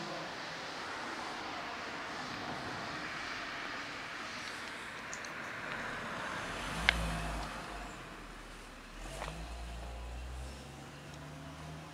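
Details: Road traffic noise with a car passing and revving, plus a couple of sharp clicks, and no animal sound.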